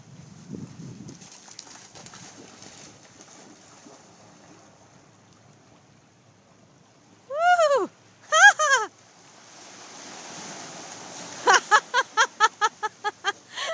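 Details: Doberman Pinscher barking for a ball before swimming after it in the ocean: after quiet surf noise, two loud harmonic barks around eight seconds, then a rapid run of about nine short barks near the end.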